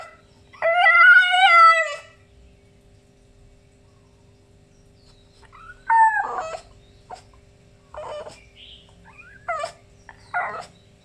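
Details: French Bulldog grumbling and complaining in the morning: a long wavering harmonic howl near the start, then a louder cry around six seconds and several shorter yelping grumbles toward the end, with quiet pauses between.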